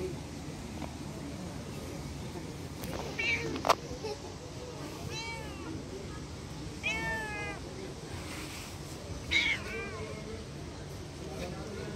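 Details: Hungry stray street cats run after a person, wanting to eat. They give about five clear, wavering meows spread over twelve seconds, some short and some drawn out, over a steady low outdoor rumble.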